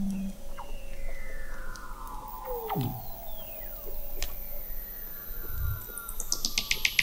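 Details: Beneath Antarctic sea ice in McMurdo Sound, November 2017, Weddell seals produce overlapping gliding whistles, one falling steeply to a low grunt, with sharp clicks and a rapid high pulsed series near the end over a low hum.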